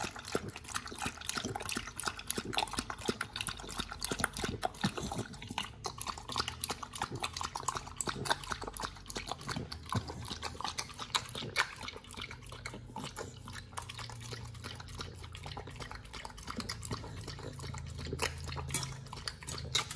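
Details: Raw-fed Pit Bull named Nomyen working through fish and duck feet; rapid crisp crunching and cracking fills the first half, then it eases into softer, wetter mouthing and grinding with a low hum beneath.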